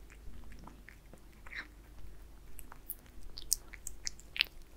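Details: Wet, clicky chewing from Aliska the cat eating Friskies beef wet food indoors. Crisp bite snaps quicken and grow louder toward the end over a steady low hum, with no voices.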